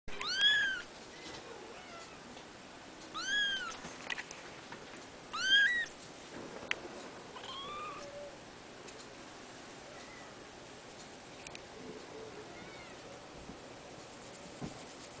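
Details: A three-week-old male blue-point bicolour Ragdoll kitten gives three thin, high mews, each arching up then down.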